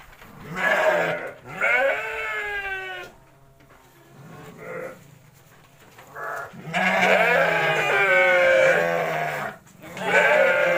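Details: Garut sheep being fed in Kampung Bentengur village, Garut, Indonesia; repeated loud quavering bleats from more than one animal, some short and some long and wavering, with brief quiet gaps between them.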